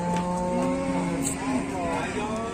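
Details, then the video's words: Cattle at Muntilan livestock market in Indonesia, around eight in the morning, amid a commotion of fighting cattle; a steady low moo with a rich stack of harmonics is held for over two seconds and bends slightly near the end. "Ada sapi gelut geger geden"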